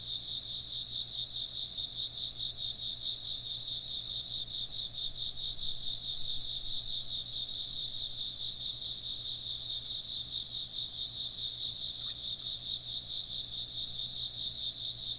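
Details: Continuous high insect chirping, many callers overlapping into shimmering pulsed bands that never break, with a soft low hum in the background and one brief faint tick near the end.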